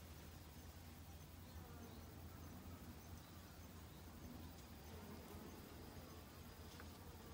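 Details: Honey bees in autumn, busily foraging for food to last the winter: a faint, low, steady buzzing hum of wings beneath soft background noise, with a few brief high clicks.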